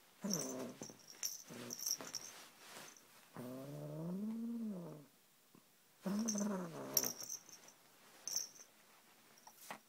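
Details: Seven-month-old male Siamese kitten indoors, possessive over his toy snake and not sharing it: a series of low, drawn-out moaning growls and harmonic yowls, one long wavering call in the middle, with short clicks and rustles between.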